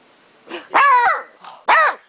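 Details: Young beagle, two days after arriving home, protesting after his chewing bone was taken, 2008: two loud harmonic yowling barks with a falling, moaning tail, a short soft whine before them, indoors in a quiet room.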